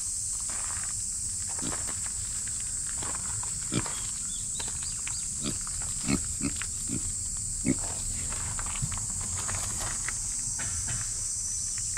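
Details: Continuous high cicada drone, described as noisy, fills the background. A female micro pig in the foreground gives repeated short grunts and snuffles, with brief high chirps scattered through.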